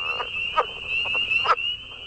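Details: Chorus of the Atlantic coast leopard frog from New York's Staten Island, a newly confirmed species first noticed by a conservationist through its advertisement call. Short, gruff chucking croaks come at about 0.25, 0.6 and 1.5 seconds over a steady, high, thin whine.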